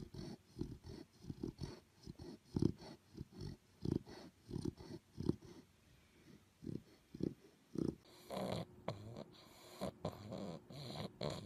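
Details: Puppy asleep and snoring, a run of soft, low, regular rasping breaths, some strokes stronger than others, until a burst of broadband rustling noise covers the final few seconds.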